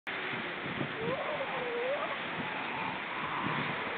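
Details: A seal vocalizing on October 29, 2014: one wavering, moaning tonal call that rises and falls for about a second, set against steady broadband rushing noise.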